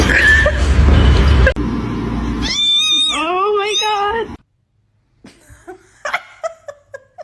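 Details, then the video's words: Cat letting out a series of loud, wavering, drawn-out meows that bend up and down in pitch, after a stretch of loud rumbling noise, then quiet broken by scattered short clicks and taps. "cats meowing"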